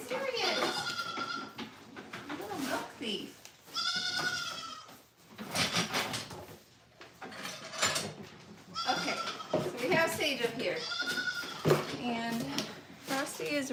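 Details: Goats and kids on a farm at morning milking time: several wavering, nasal bleats come in bursts at the start, middle and end, each lasting about a second, mixed with a woman's chatter and handling noises.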